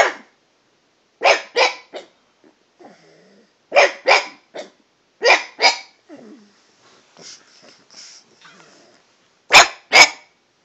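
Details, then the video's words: Pet dog Toby barks at the household cat, varying his pitch: paired short barks recur every second or two, interspersed with faint whimpers and small high squeaks between the louder bursts. "Toby talking to the cat"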